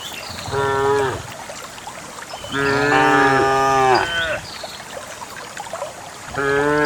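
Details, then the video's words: A herd of dozens of countryside cows walking on a wet morning path to a green grassy valley; three rich, harmonic moos, the middle one longest and wavering, with light bird chirps behind. "the distinctive sound of cows"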